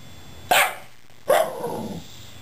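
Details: Shiba Inu indoors 'talking' to two rescued cats: two short sharp barks about a second apart, the second trailing into a softer, wavering whine-like tail.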